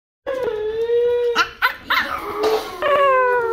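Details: Female Pomeranian left at home in a lion dance costume in cold weather, whining at her owners for staying out too long: long, steady, tonal whines broken by short yelps and sharp barks, a final whine rising again.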